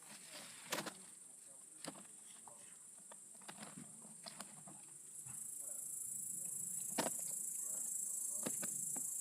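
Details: A great green bush-cricket (Tettigonia viridissima) sings a steady, very high-pitched buzzing stridulation that grows louder partway through.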